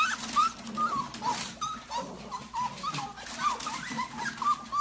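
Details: Golden Retriever in a compilation of funny moments, giving a run of short, high, whining whimpers, each a brief rising-and-falling tone, repeated roughly every half second over a steady, noisy indoor background.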